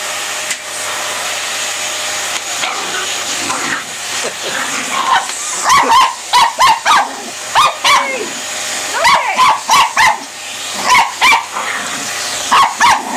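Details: Border Terrier, a small active dog breed, barking in quick bursts of sharp yelps over a steady whooshing hiss like a vacuum cleaner or hair dryer; the barks start after a quiet stretch and come in clusters of three to five.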